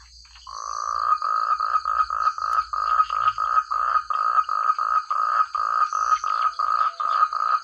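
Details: Frog chorus in countryside rice paddies: a long even train of short grating croaks, roughly three per second, loud and clear, with a faint continuous high-pitched insect buzz underneath.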